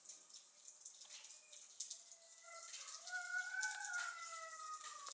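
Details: Seven-week-old Keeshond puppies from a recent litter: drawn-out, slightly wavering high whines with rich overtones. They start faintly, then grow louder and overlap in the second half, over a constant hiss and soft rustling.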